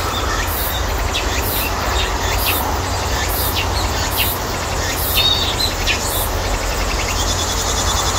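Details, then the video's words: Midsummer cicada chorus ringing through a persimmon orchard: continuous high-pitched shrilling pulsed in rapid regular beats, with brief buzzy upper-middle notes and a steady low hum underneath. "감나무 밭의 매미소리 - 여름이 지나가고 있다는 한여름의 매미소리"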